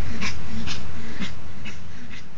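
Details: Panting Pomeranian Tinker, aged 14, kissing and mounting his toy frog Tinkerbell in a garage; a short run of regular, hoarse puffing breaths, roughly two per second, while a woman chatters nearby.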